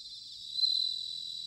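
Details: Bell cricket singing in autumn, recorded in Sanuki, Chiba, Japan: a high, steady ringing trill swelling briefly louder midway, with other crickets buzzing continuously beneath.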